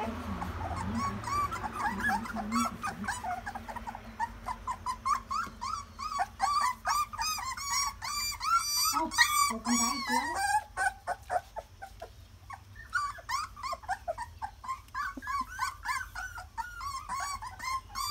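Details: A litter of puppies taking their first steps squeals and whines continuously, dense overlapping high peeping cries with brief grunts, pausing briefly near the middle before the chorus resumes.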